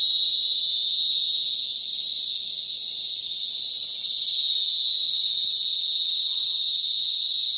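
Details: Cicada, locally called kuliglig or duli duli in Bicol, singing in the province: a steady, loud, shrill buzzing drone that holds unbroken throughout, with a faint higher hiss layered above and no other clear sounds.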